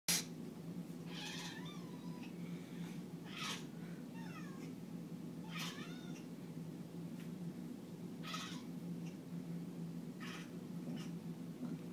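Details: Pet cat indoors, said to be singing again: a series of drawn-out, wavering meows repeated about every two seconds over a steady low hum, the notes bending up and down in pitch.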